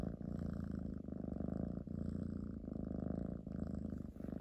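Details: Kitten purring very loudly up close, a steady low rumbling purr with rhythmic pulses, briefly pausing at each breath about every second; no other sounds.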